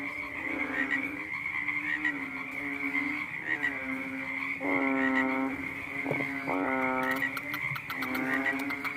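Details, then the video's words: Frog at night producing low, drawn-out nasal croaks, then louder harmonic bursts in the second half, set against a continuous high-pitched background drone and a few sharp clicks. "The sound of a funny fat frog sounded one night"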